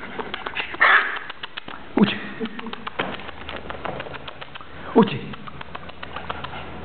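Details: Fox Terrier puppy named Butron Rodriguez, playing with small tantrums in Béjar, Salamanca, Spain; three short yelping whines that sweep downward, near one, two and five seconds, amid scattered tapping clicks in a quiet indoor space.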